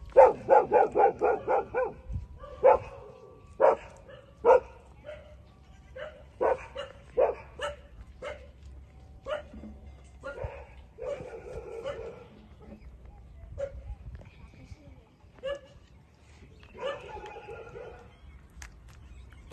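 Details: Puppies 27 days old suckling from their mother; an opening run of rapid yelps gives way to spaced single yips and short whines, some sharp and clicky, over a faint steady hum.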